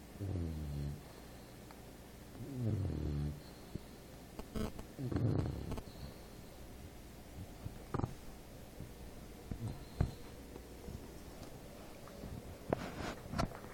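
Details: An English Bulldog named Apolo snores while asleep. The snores are deep, throaty and harmonic, with three clear breaths in the first six seconds, then quieter snuffles and a few sharp clicks over a low indoor hum.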